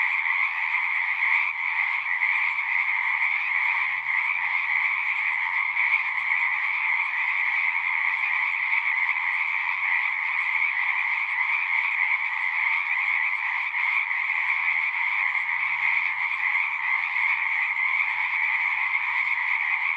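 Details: Chorus of many singing frogs, a dense unbroken trilling wall of sound in two bands, one mid-pitched and one higher and stronger, steady throughout; a faint low hum drifts in at times.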